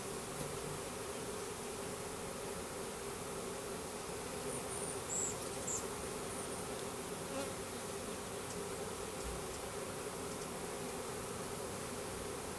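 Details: A package of about 10,000 Russian/Carniolan hybrid honey bees with one queen, installed into a new hive in April: a dense, steady drone hums without pause throughout, with harmonic bands layered above the low buzz.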